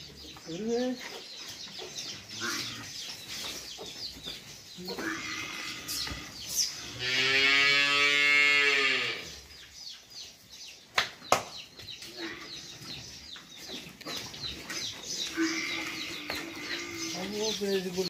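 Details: Farm cattle give a loud, drawn-out moo of about two seconds that swells and then falls away, with men talking in Hindi-Urdu and scattered clatter around it.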